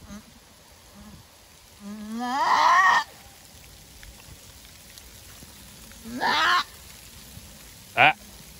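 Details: Screams from a first-time mother goat in a difficult birth of a single kid: one strong wavering bleat over a second long, a shorter cry several seconds later, then a brief sharp yelp, over faint background hiss.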